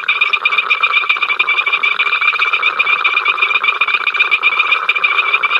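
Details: At Ol Donyo, captured by the africamLIVE live cam, a crowd of frogs keeps up an incessant din of fast pulsing croaks, several per second, over a bright steady shrill band, occasional sharp clicks.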